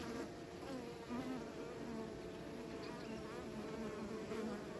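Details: Bees droning steadily, a layered low hum with a few brief higher wing notes rising and falling as individual insects pass, level and unbroken throughout.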